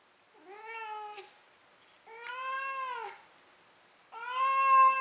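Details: Maru, a pet cat indoors, meowing after running around and catching a toy before falling asleep: three drawn-out harmonic meows about a second long each, the last one louder and rising slightly.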